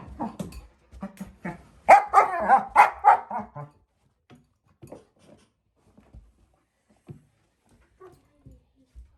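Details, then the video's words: German Shepherd puppy, female, four months old, playing with her bowl: quick yips, then a loud cluster of harsh whining barks around two seconds in, fading into scattered soft clicks and taps. "German shepherd puppy (Norah) playing with her bowl and making funny noises"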